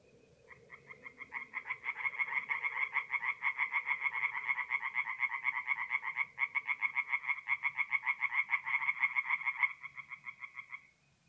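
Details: Singing tree frogs at night in a north-east Italian forest pond in April: croaks build from quiet to loud rapid pulsed bursts, pause briefly near six seconds, resume, then fade out near the end.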